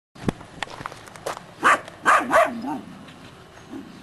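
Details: Three-month-old Belgian Shepherd Groenendael puppies from one litter, showing guarding instinct toward an unseen stranger: a few short, high yapping barks clustered in the middle, with footsteps and handling noise around them.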